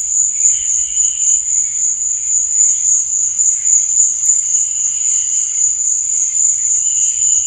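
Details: High, sustained cricket trill at night, evenly pulsing and never pausing, overlaid with faint lower chirping notes and a single brief click midway.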